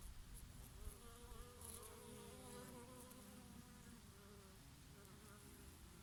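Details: Bees feeding on oregano flowers on a summer day with a breeze: several overlapping droning hums that waver and slide in pitch, layered continuously over a low, rushing wind rumble.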